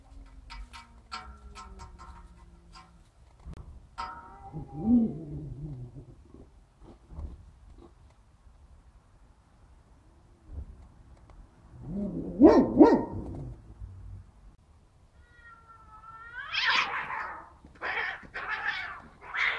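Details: Larry, a young domestic cat walked on a leash in southern Italy, gives several short harmonic meows spread through the clip, with quiet gaps, faint clicks and rustling between calls.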